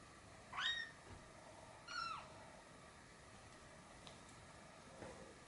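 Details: Abyssinian kitten about 40 days old from a first litter, playing with its mother; two short high meows near the start rise then fall, about a second apart, followed by quiet with faint rustling.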